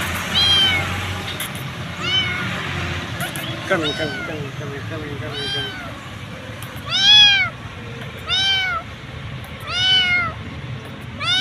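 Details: A hungry stray kitten, called over and fed, gives loud arched meows with rich harmonics, spaced roughly every one to two seconds, plus a brief stuttering run of short squeaks midway; a low background hum persists.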